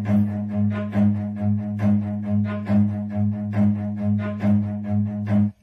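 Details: Bowed cello and double bass music with a steady, regular pulse of low sustained notes, with no animal sound heard.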